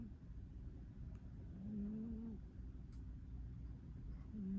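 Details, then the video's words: Soft snoring from a sleeping cat: a drawn-out, low humming breath midway and another starting at the end, set against steady faint background rumble. "Cat snoring softly and then accidentally waking him up"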